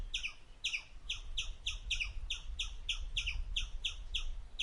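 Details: An Indian palm squirrel (Funambulus palmarum) gives sharp, high, bird-like chirps repeated several times a second while eating.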